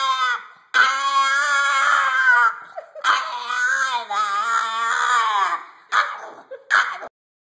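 A Boston Terrier gives long, wavering, high-pitched screams with a rich, whiny tone.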